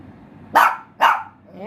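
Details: Pinscher dog giving two sharp, bright barks about half a second apart, followed by a faint rising whine.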